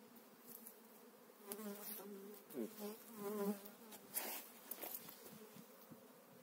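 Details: Honey bees being moved into a new hive in spring, eight frames of bees: a steady low buzzing hum with rising, wavering tones in the middle and a few brief knocks and rustles.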